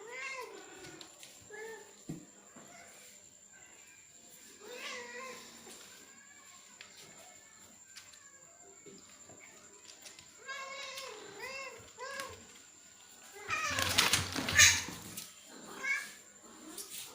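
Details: Male cat trying to mate with a female by force: repeated wavering, rising-and-falling yowls in bursts over seventeen seconds, ending in a loud harsh scuffle-like outburst with scattered cries afterward.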